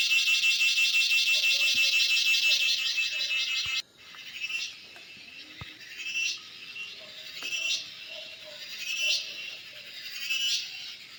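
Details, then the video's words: Cicada calling outdoors: a loud, dense, high-pitched buzz pulsing rapidly for about four seconds stops abruptly, then returns as softer rising swells roughly every one and a half seconds. "Cicada sounds/Cheeveedu"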